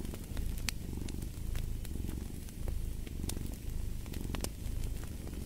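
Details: Cat purring close and clear: a deep, buzzy rumble that swells roughly every second in breath-paced waves, with a fireplace crackling and popping in the background.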